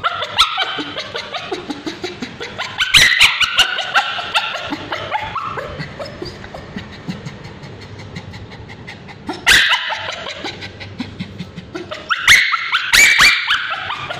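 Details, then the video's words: Male Bichon Frise with scabies crying out during ointment treatment on his tail; scattered shrill yelps and whines, with loud bursts of screaming at three points between quieter stretches. "Male Bichon Frise Dog Screaming when babysitter applying ointment"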